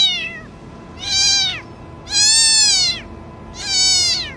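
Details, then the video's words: Cat asking for help: three drawn-out, high, plaintive meows about a second long, each rising then falling in pitch, repeated roughly every 1.3 seconds over a steady low background hum. "Cat Asking for Help Sound Effects"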